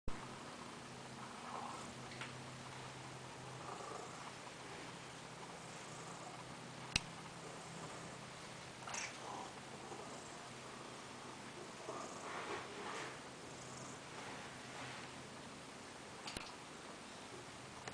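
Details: A fat domestic cat sunbathing purrs softly indoors: a faint, steady low rumble runs beneath the room's quiet hiss, with a few scattered clicks and brief rustles, one sharp tick near the middle.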